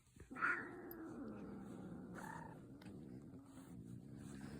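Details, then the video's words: Cat making a funny sound: a loud, harmonic meow that bursts out sharply, then drags into a long, low, moaning drawl, with a second brighter note breaking in midway. "Cats making funny sounds"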